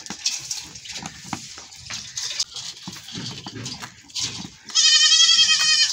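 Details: Goat running off after milking, giving a single strong, drawn-out, quavering bleat near the end, preceded by several seconds of scuffling and movement noise.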